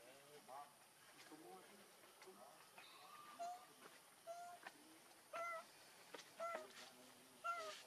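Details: Baby monkey named Leo, hungry and crying to beg its mother for milk: short, thin, slightly falling wails with bright overtones come in irregular bursts about once per second. Softer chattering and faint background noise fill the gaps.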